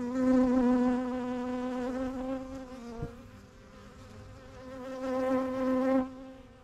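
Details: A single honey bee flying close past a backyard hive, its wingbeat tone a clear, rich buzz that fades midway and swells again before cutting off, over a soft background hum of the colony.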